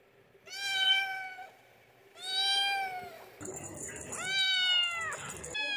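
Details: Cats meowing: three drawn-out, clear meows, each about a second long, the first two gently rising then falling, the third more nasal, with a brief high whine and faint room noise between calls.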